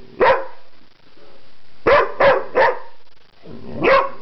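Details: A pet dog named LuLu makes strange noises while attempting to communicate. There are short, harmonic, yelping bark-like sounds: one at the start, three quick ones in a row, then a final drawn-out, rising-falling cry.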